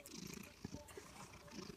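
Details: Domestic cat of Maine Coon or Manx type, described as fat and happy, purring while drooling indoors; soft, low, pulsing rumble in a hissy background with faint murmuring.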